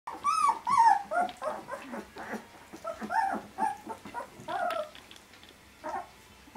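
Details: Vizsla puppies 18 days old, starting to interact with their mother and each other, give a quick run of squeaky, whining whimpers, each note sliding down in pitch, several per second with short gaps between.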